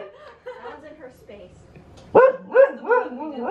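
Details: Female Siberian Husky fighting a balloon gives a quick run of four loud, yodelling barks, each swooping upward, after a stretch of a woman talking and faint earlier yips.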